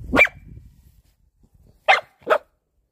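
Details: Pet dog giving three short, sharp barks: one at the start, then a quick pair about a second and a half later, with near silence between.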